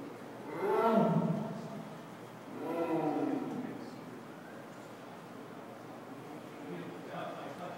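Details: An Amur leopard at Staten Island Zoo (dated 19-1-12), walking around, gives two drawn-out, moaning calls a couple of seconds apart, then a fainter third.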